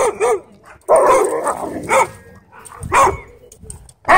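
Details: At a dog park a wolf dog picks on a husky shepherd with pink eyebrows; short arched barks and yips come in irregular bursts, one longer wavering yowl near the start, with rustling and faint background chatter between.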